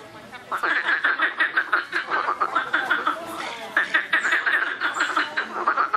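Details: Noisy frogs in a chorus: bursts of fast, rattling croaks with a nasal tone, a short quiet start, then steady overlapping pulsed calls from several animals.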